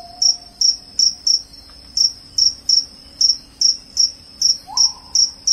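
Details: Cricket, its loud calling said to repel rats and bring sleep, giving short, high, shrill chirps about two and a half times a second, each a brief bright pulse, steady against a quiet background.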